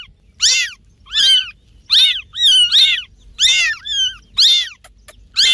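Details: Cats making noise while playing: a run of about eight high, arched, harmonic meows, closely repeated in quick bursts with short gaps, on a quiet background.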